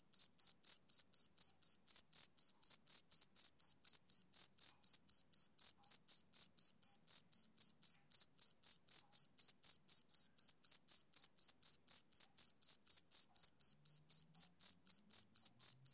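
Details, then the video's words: Sixteen seconds of a male cricket's summer-evening chirping, roughly sixty-four sharp, high-pitched pulses in a very steady rhythm near four per second, soothing and uninterrupted, with a silent backdrop. "Cricket Chirping Sound"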